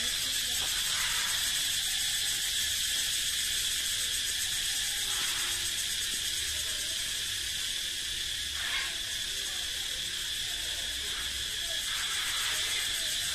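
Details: Cicada song echoing through the forest, made by males to proclaim their strength and fitness: an unbroken, dense, shrill buzz at a steady loudness with a faint shimmering pulse, swelling briefly now and then.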